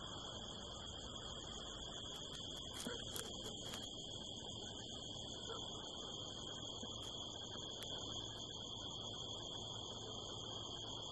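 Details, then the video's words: Nocturnal crickets on a California desert hillside beneath the harvest moon: a sustained high trill with a fainter upper band, and a few short clicking noises early on over a low background rumble. "the sound of crickets"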